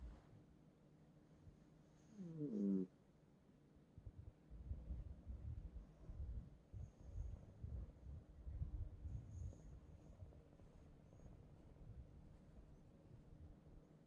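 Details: Sleeping house cat, a bed companion in a multi-cat household, snoring heavily; a short tonal snort early on, then a long stretch of low, rumbling, irregular breaths in a quiet room.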